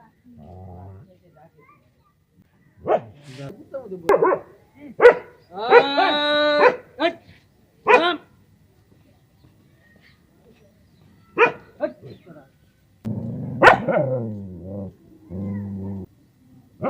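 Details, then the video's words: Dog barking in scattered sharp single barks, with one drawn-out harmonic whine in the middle and low human voices talking between the barks. "Dogs Barking sound compilation | Tiger Dog Barking sound effects"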